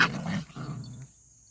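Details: A puppy at play with its older brother lets out a short, harsh growling bark. It sinks into a lower rumbling growl that lasts under a second, then goes quiet. A faint high whine sits behind it.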